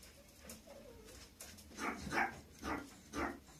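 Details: Young female Maltese dog; four short yapping barks in the second half, roughly every half second, after quieter whining sounds at the start.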